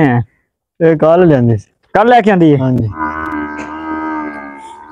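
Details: Nili-Ravi buffalo on a dairy farm in Pakistan, one of two young females that have just calved for the first time; short harmonic lowing calls, a brief pause, then a longer call, followed by a steady tonal hum.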